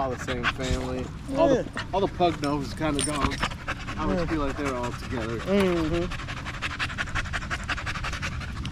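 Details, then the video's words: Male Staffordshire Bull Terrier at the park in the evening, talking with other male dogs: a long string of warbling, rising-and-falling whines and moans over six seconds, then panting and breathing noise. "Long evening at the park male wolf pack chat"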